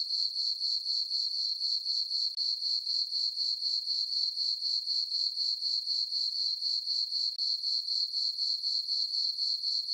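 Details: Night chorus of crickets on a farm meadow under dark skies and a full moon in summer: a piercing, evenly rhythmic chirping, around four pulses a second, with a couple of tiny breaks.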